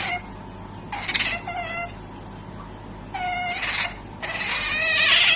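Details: Otters producing strange noises, a series of raspy, noisy squeals with wavering harmonic whines, three bursts spaced a couple of seconds apart, the last growing louder and harsher.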